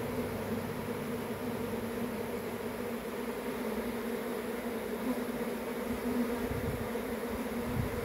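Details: Honey bee swarm giving a steady, dense hum, a low drone with an even overtone band above it, holding level for the whole stretch with no breaks and no other animals heard.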